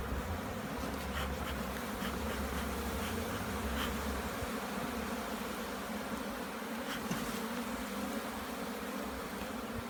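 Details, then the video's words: Loud, unbroken buzzing from a colony during a hive check in Jamaica, with faint scattered clicks and rustles above the steady drone. "JAMAICAN BEE HIVE INSPECTION"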